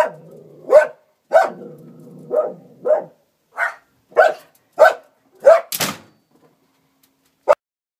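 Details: Norwegian Elkhound barking: short, sharp, mid-pitched barks at irregular intervals, about nine in eight seconds, followed by a thump and one last faint bark after a pause.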